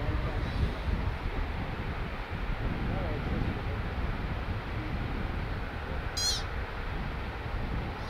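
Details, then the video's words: An American pika (Ochotona princeps) perched on a rock edge gives a single short, high, squeaky eep over steady rumbling wind and ambient road noise; pikas may call to warn of predators, attract mates or greet others. "Mountain Moment: Call of the Pika"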